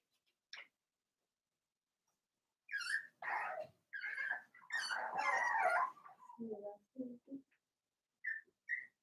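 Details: Cavalier King Charles Spaniel puppies, four weeks old, from Daisy's litter in an indoor pen: a single squeak, then a run of loud overlapping whining yelps for about three seconds, followed by lower grunts and two short high squeaks.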